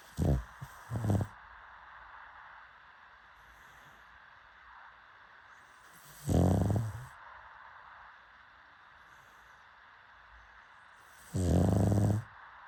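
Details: Pug snoring in three rough, low, rumbling bursts near the start, middle and end, each lasting under a second, separated by quiet pauses of about five seconds.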